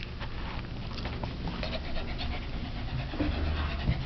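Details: Lhasa Apso mother playing with her new 2010 litter of puppies: quick, soft breathy panting, roughly three to four breaths a second, over a steady low indoor rumble.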